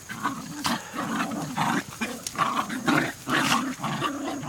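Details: A trio of Jack Russell Terriers trading rough, growly barks in rapid, uneven succession, about two per second, loud and continuous through the whole stretch with a raspy, noisy quality.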